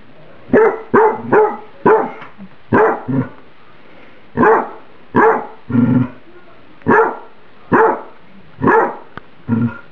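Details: Pet dog barking when served spaghetti microwaved for about a minute and too hot: about eleven sharp, harsh barks in uneven bursts, some followed by a lower, growly tail. The room is otherwise quiet.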